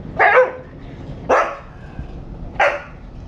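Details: Husky throwing a fit about going for a walk on its owner's return home: three short, sharp, yelping barks roughly a second apart, each a bright burst with quiet room pauses between.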